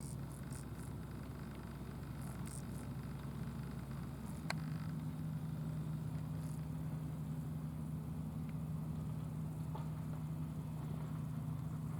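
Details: A low, droning rumble like a vehicle or machinery fills the recording, settling into a steady hum after a sharp click. No animal voice stands out above the noise.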